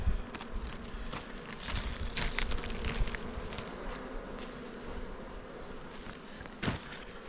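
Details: Honey bees kept at a hive on Jirisan, Korea, humming in a low steady drone while hives are opened and handled, with knocks, rustling and a sharp tap near the end.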